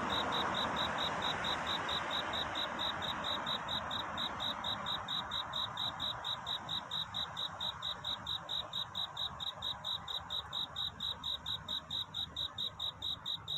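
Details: Cricket calling for a mate at night toward dawn: a long even series of sharp, high, ringing pulses near two per second, laid over a steady soft hiss.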